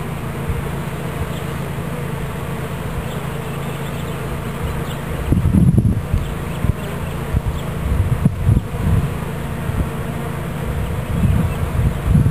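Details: Bee swarm captured into a new hive in Watkinsville, Georgia: a steady low hum of many bees, with louder thumping handling noises around the middle and again near the end.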